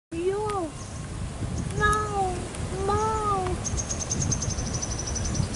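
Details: Tigger, a male pet cat of an expat living in Asia, gives three drawn-out arched meows, each rising then falling over about half a second. The meows come at roughly one-second gaps over low background rumble, with a faint high tone near the end.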